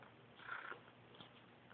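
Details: Caracal kittens: one short mewing call of about a third of a second, then a fainter squeak, over quiet steady background hiss.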